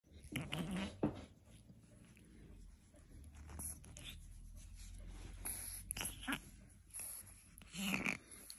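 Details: A Boston Terrier's morning warm-up: short snorts and throaty grunts in scattered bursts, with quiet breathing between them.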